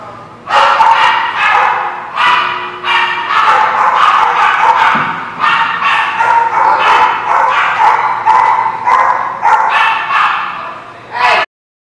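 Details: Dogs barking at a lot: a steady run of sharp, loud barks, roughly one every half second to a second, several voices overlapping, continuous for over ten seconds before stopping abruptly.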